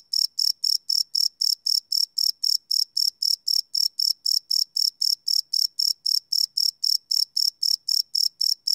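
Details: Chirping crickets after dark, field-recorded live with a Sony PCM D100; rapid bright pulses repeat about four times a second in a tight, metronomic rhythm against a quiet backdrop.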